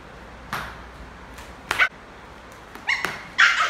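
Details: A playful, affectionate adopted male Lhasa Apso puppy, playing football with his owners, gives short, sharp yipping barks in scattered bursts.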